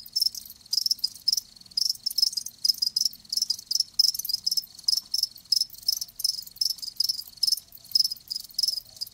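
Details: Loud, steady cricket chirping: high pulsed bursts repeating about every third of a second in a regular rhythm, strong and clear with no other sounds.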